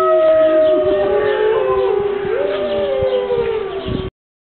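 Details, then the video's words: Group howling from five captive Siberian wolves in Berlin Zoo on a rainy morning: layered sustained tones sliding up and down against each other in a dense, siren-like chorus that cuts off abruptly. "The Five-Wolf-Symphony"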